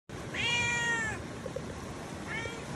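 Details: Orange pet cat gives a clear drawn-out meow lasting about a second, harmonic and slightly falling at the end, followed after a pause by a shorter, softer meow, over faint room hiss.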